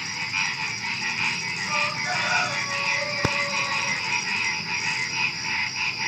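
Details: Frogs calling at night just before dawn, a dense chorus of pulsed croaking notes rolling on without pause, over a steady high insect whine, with one sharp click midway.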